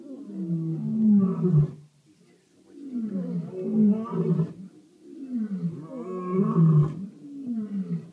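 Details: Lions roar at night in South Africa, in deep, rumbling bouts that swell and fade, repeated about every two and a half seconds.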